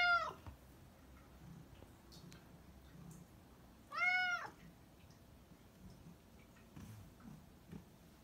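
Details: Black cat giving two separate meows, the first brief and falling, the second a fuller arched cry about four seconds later, with faint low room noise between them.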